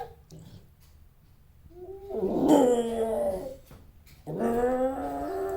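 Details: Captive bobcat eating its first full-sized chicken wing, guarding the food and warning others to back off; two drawn-out, wavering, whining growls with a rising and falling pitch, the second starting abruptly after a short pause.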